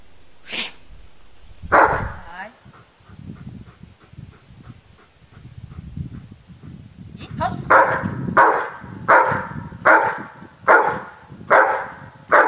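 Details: Dog barking: after a quieter start with a few sharp knocks and low murmuring, loud harsh barks come steadily about once every second through the second half.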